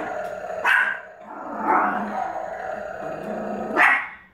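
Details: Pomeranian reacting to a flashlight that plays animal sounds, giving three sharp, strained barks spaced about one to two seconds apart, with a faint steady electronic whine underneath.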